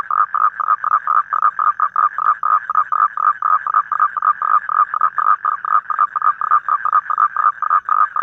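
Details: Evening toad call recorded in the wild in Vietnam, a fast steady train of short nasal croaks pulsing roughly five times a second without pause, the only sound present.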